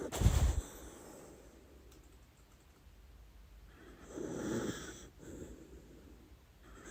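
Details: Dachshund Lady Ruby asleep and dreaming, giving a loud snorting snore at the start followed by slower wheezy, rasping breaths, one swelling strongly around the middle, in a quiet indoor setting.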